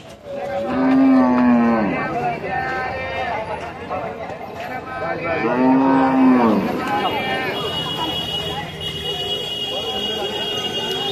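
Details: Khillari cattle at a bullock market in Varkhadi, India, giving two long, low, drawn-out moos with a steady tone, each lasting about a second and a half and a few seconds apart, amid market crowd murmur.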